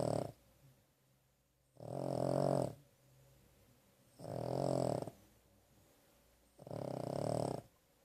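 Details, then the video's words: Pet dog asleep after a hard day that included a vet visit, giving four deep, raspy snores spaced about two and a half seconds apart, separated by soft quiet breathing in a small room. "Carley Snoring"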